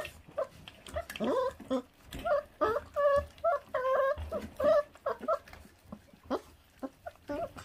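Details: Puppy of a feral dog in Korea, neglected by its mother after birth, feeding with a dense run of high-pitched whining, about seventy brief cries a minute, clustered mid-clip and then thinning to sparse yelps amid eating noises.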